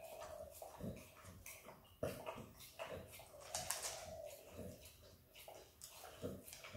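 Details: Izzy, a female Australian Kelpie x Border Collie puppy, licks and eats peanut butter indoors: wet, smacking mouth clicks and slurps come in irregular bursts, with a faint steady hum underneath.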